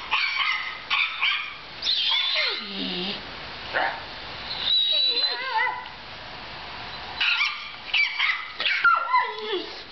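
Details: A puppy appears in a laptop beside Roscoe. It gives high, thin whimpers and sharp yips in clusters, several of them sliding downward into drawn-out whines, with short quiet gaps between bursts.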